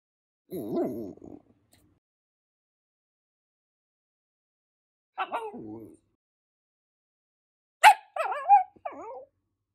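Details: A red Shiba Inu puppy born in April 2020 makes three bouts of sound with silent gaps between them: a low, wavering moan, a brief higher whine, then a sharp yip running into bending, yodel-like whimpers.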